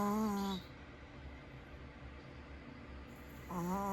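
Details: A sleeping pet dog snores with its eyes open, a noise mistaken for an alarm. Two tonal, harmonic snores, one at the start and one at the end, are separated by quiet room noise.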